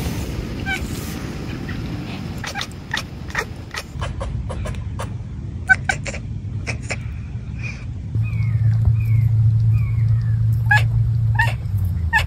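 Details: Raja, a Savannah and Bengal cat, gives quick, clicky chatters then short, falling bird-like chirps outdoors, mimicking birds and squirrels as hunting behaviour, over a steady low rumble of wind or distant traffic.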